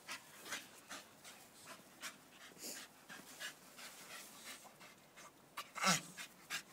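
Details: Panting from Staffordshire Bull Terriers: soft breathy puffs roughly every half second, growing louder near the end with one sharp strong exhale.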